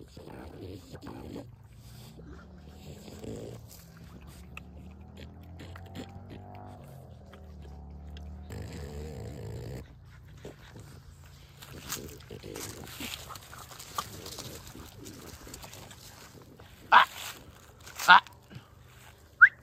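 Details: French Bulldog and American Pitbull Terrier puppies playing at sundown; low droning background gives way to rustling, then two or three sharp, high yelps burst out near the end.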